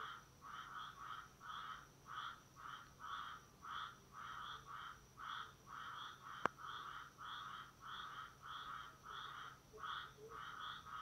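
A tree frog gives short, nasal, honking notes repeated steadily about twice a second.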